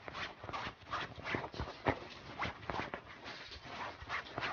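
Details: Pug dog in a funny pet compilation, giving short, rapid snuffling and snorting bursts mixed with brief high whimper-like squeaks, irregular and close, with faint room noise.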